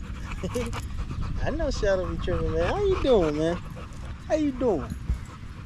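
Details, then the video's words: Staffordshire Bull Terrier among male dogs at a park on a long evening, in a 'wolf pack chat'. A run of whining, howl-like tones that rise and bend downward, arriving in short linked bursts, with a pause before two final whines. "Long evening at the park male wolf pack chat"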